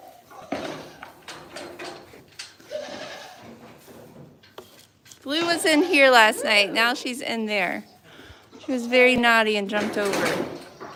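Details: Bleating goats at The Willful Goat Farm & Home, livestreamed. Shaky, vibrato-laden cries run in two long, overlapping bursts after a stretch of quieter voices and handling noises.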